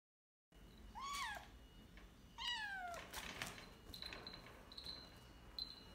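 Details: Young American Shorthair kitten, frightened while adjusting as her owner tries to keep her company indoors, gives two clear meows that slide downward, about a second and a half apart, followed by rustling and a faint steady high tone.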